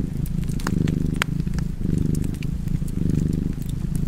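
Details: A cat purrs near a fire, its deep vibrating rumble pulsing in waves just under a second apart, while fire crackles click and pop in the background.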